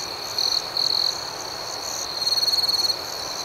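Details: Crickets at night, a constant shrill background chorus broken by two short, louder chirp bursts early on, then a clearly pulsed, rapid trill lasting nearly a second before the chorus settles again.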